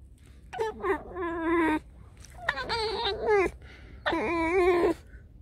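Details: Pet fox named Alice complaining while playing and nipping: three long, quavering, whining cries, each opening with a sharp rising yelp then holding a wobbling tone about a second, in a quiet room.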